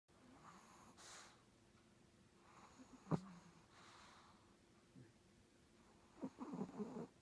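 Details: Cat snoring indoors, its snoring described as terrible: soft, breathy, noisy snores returning every second or two, faint against a low steady hum, ending in a louder run of snorting, rasping breaths.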